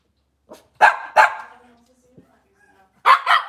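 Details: Cavalier King Charles Spaniels indoors in a kitchen on a cloudy Monday morning. A quick pair of sharp, high barks is followed by a quiet gap with a low hum, then another fast double bark.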